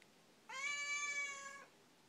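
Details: A talkative pet Siamese cat gives one long, steady, nasal meow lasting about a second, complaining about something while the owner asks if it wants to eat or get down.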